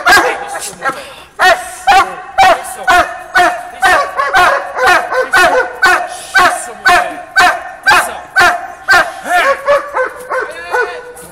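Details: Conan, a Doberman, lunging to bite while giving a long run of loud, harmonic barks at a regular pace of roughly two per second, fading into a few shorter, quicker barks at the close.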